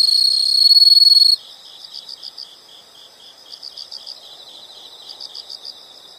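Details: Insect sounds from nature: a piercing steady trill stops after little more than a second, followed by quieter high chirps grouped into quick clusters of pulses, repeated every second or so.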